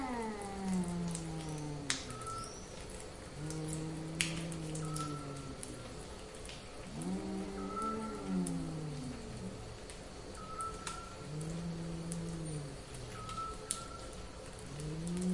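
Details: Cats in heat call in a run of moaning, up-and-down yowls, some short and some stretched. They are spaced a few seconds apart over fifteen seconds, with a repeated short high tone and pattering like rain underneath.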